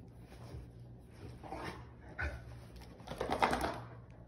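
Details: Rottweiler throwing a temper tantrum after being denied chocolate, indoors: low grumbling, groaning vocalisations that rise into louder whiny bursts near the end, with a quiet room hum beneath.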